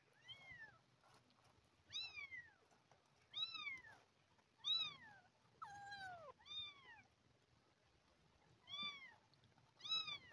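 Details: Hungry abandoned kitten being fed milk replacement calls in a steady series of arched, falling meows, roughly eight over ten seconds at intervals of about one to two seconds, with faint low background rumble.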